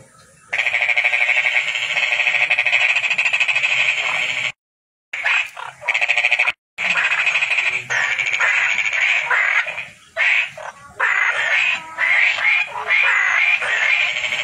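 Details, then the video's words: Toad calling, a loud, continuous high-pitched pulsed trill running for several seconds at a time, broken by brief gaps, with other similar trills overlapping toward the end. "Toad Calling Sound"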